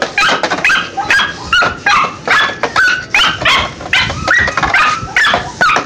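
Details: Pinscher pups under testing whine and yelp steadily, sharp nasal cries bending up and down in pitch, repeated more than twice per second, with some overlapping calls suggesting several pups.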